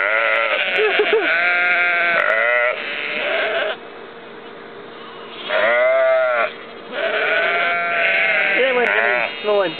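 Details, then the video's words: Sheep with lambs at Ullapool, April 2009, giving loud quavering baas in bursts separated by short quiet spells, one clear bleat rising then falling in the middle, several voices overlapping. "Sheep Baaa"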